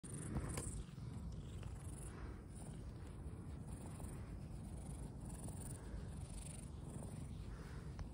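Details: Community or rescued cat in Tokyo, Japan, on a hot tropical night, purring steadily: a low, continuous rumbling throb that holds even throughout, with faint high hiss in the background.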